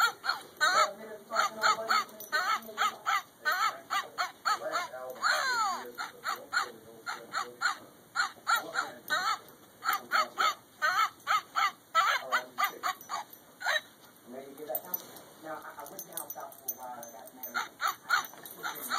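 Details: Border Collies "sing" along to Jingle Bells at Christmas 2011, yipping and howling in rapid, wavering bursts of short, pitched notes alongside the music.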